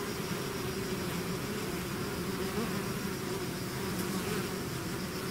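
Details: Swarm of bees leaving the hive: thick, even droning buzz of countless wings, a steady low hum with no pauses, slightly heavier in the low register, holding constant for the whole stretch.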